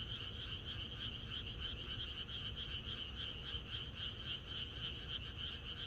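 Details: Frogs chorusing in the countryside on the night before rain: a dense, steady wall of rapid pulsed croaks, with bright bands high and mid-pitched, about three or four pulses a second, and a low rumble beneath.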